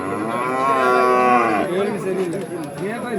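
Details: A bull calf at Kollannur market lets out one long, drawn, steady moo of about a second and a half. It then fades into men's voices and bustle from the sale.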